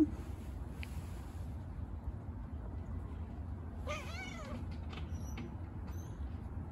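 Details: Stray cat, playing after being fed: one drawn-out meow near the middle, wavering up and down with rich harmonics, over a steady low rumble and faint high hiss.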